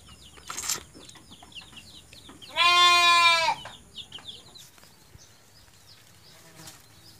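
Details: Orphaned goat kid whose mother has died, being bottle-fed on a farm: a single loud, nasal, wavering bleat lasting about a second midway, amid steady chirping of small birds and faint background voices.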